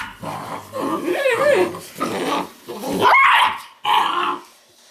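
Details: Weimaraner pups from an Indigo and Magnum litter in a play-growling exchange: drawn-out, wavering whines and growls rising into squealing yelps, in roughly four loud bursts.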